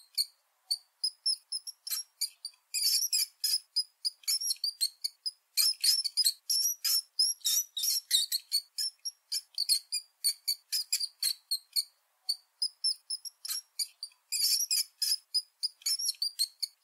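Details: Long, steady run of house mouse squeaking: sharp, very high chirps repeated a few times per second, at times crowding into dense flurries, then thinning to single thin peeps, against a silent background.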